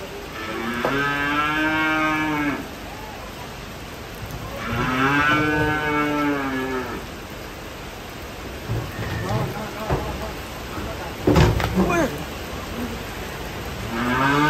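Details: Cattle coming down from a truck give two strong, sustained moos early on, then shorter broken calls mixed with knocks and thumps, and another moo beginning at the end.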